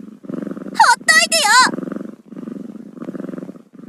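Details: Kitten letting out a quick run of three bending, wavering meows early on, set against continuous low throaty purring that carries on after the calls stop.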